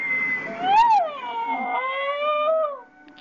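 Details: Pet dog that lives with a cat and often tries to copy it, making a meow-like sound: one drawn-out harmonic moan, rising briefly then sliding and wavering for about three seconds before fading, indoors.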